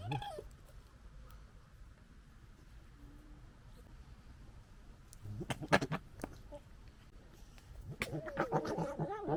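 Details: Fox gekkering during a fight, recorded in 2021: near silence at first, then bursts of harsh, stuttering, rapidly repeated chatter around the fifth second, returning as a louder rattling, wavering series in the final seconds.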